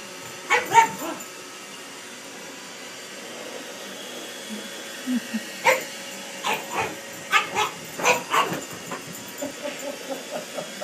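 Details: Pug facing off against a robot vacuum cleaner: a couple of early barks, then a lull, then a rapid run of irregular yappy barks, roughly a dozen, over the vacuum's steady whir.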